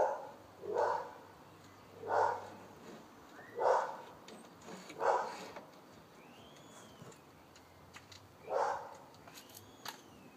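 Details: Wellingborough dog gives single barks spaced roughly every one and a half seconds, then a longer pause before a last bark; faint bird chirps and a low hum in the background.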